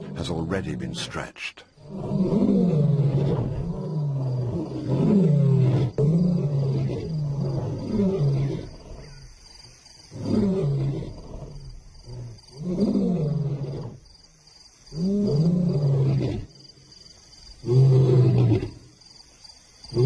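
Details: Lion in the wild giving a sequence of deep grunting roars, about eight heavy low bursts spaced roughly two seconds apart with pauses between, each swelling then fading, a faint steady hiss underneath.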